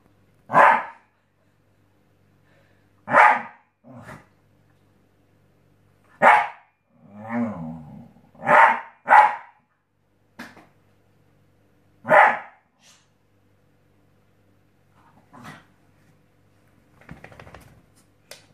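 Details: Scottish Terrier Obama barks on a new mattress indoors. Loud, clipped single barks repeat every two to three seconds, with a brief rumbling growl in between and softer huffs trailing off at the end.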